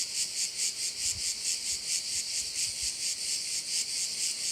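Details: Chorus of crickets by a bay on the island of Korčula, Croatia, a continuous piercing high buzz pulsing in regular beats roughly twice per second, nothing else prominent.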